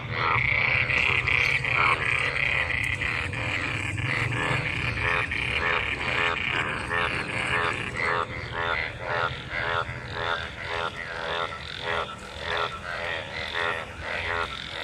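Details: Crowd of frogs gathered in pooled monsoon rainwater and mating, croaking in a thick overlapping chorus; quick pulsed croaks roll on steadily, with a brighter high whine in the first few seconds.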